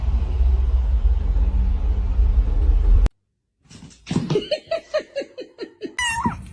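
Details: Domestic cat uttering a rapid run of about ten short, falling meows in under three seconds, then a longer, higher, bent meow, after a stretch of loud steady background rumble that cuts off abruptly.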